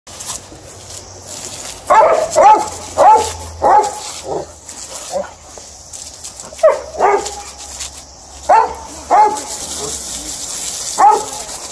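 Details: Alaskan Malamute and Golden Retriever playing with water; short, sharp yelping barks come in uneven bursts, about nine over eleven seconds, with a steady hiss in the background.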